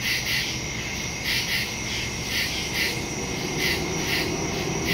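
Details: Nighttime woodland crickets, recorded on September 2, 2023 with a phone and stereo microphone, keep up a shrill continuous chorus pulsing in short bursts about once a second, over a low background rumble.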